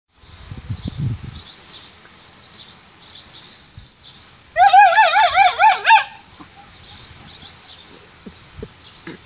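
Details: A dog defending a stick it claims as its own gives one loud, wavering, tonal whine-like cry of about a second and a half. Soft scuffling comes before it, and steady high bird chirps run in the background.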